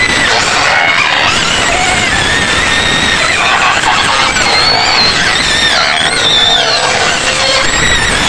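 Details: Pen of white pigs near Medan in a noisy chorus of overlapping high squeals and harsh shrieks, unbroken and loud, with some wavering tones rising and falling.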